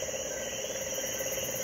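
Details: Puerto Rican crested toad in Puerto Rico during heavy rain after a storm, a species said to sing all night when it rains: a steady, fast-pulsed mid-pitched trill runs throughout, over a dense high insect chorus.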